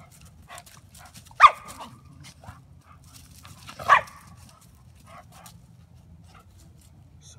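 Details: Domestic dogs at play, Winston getting to know a rottweiler: two short, sharp barks roughly two and a half seconds apart, over faint rustling and a low background hum.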